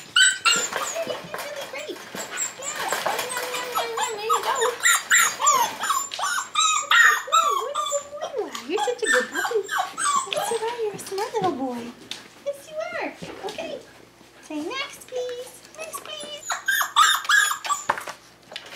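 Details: Five-week-old Tamaskan Dog puppies playing the Puppy Culture box game indoors, giving dense high whines and yelps that bend up and down in quick overlapping bursts, with a woman's praising voice between them.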